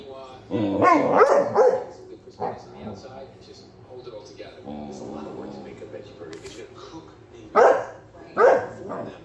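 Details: Bandit the Basset Hound barks in the face of Tank, a Victorian Bulldog, for no clear reason: a loud burst of sharp barks at the start, a quieter stretch with a human voice, then two more single barks near the end.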